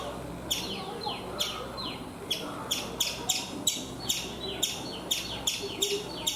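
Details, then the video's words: High, sharp chip notes from a chipmunk on a coconut tree in India, starting after a short pause and then coming in quick, uneven runs of two or three, some sliding downward, over soft background noise. "Chipmunk making sounds"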